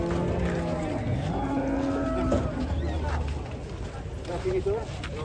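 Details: Agitated cow that barged into a passenger car, giving repeated low, level moos with clear harmonics, short bends upward toward the end, against background music and distant voices.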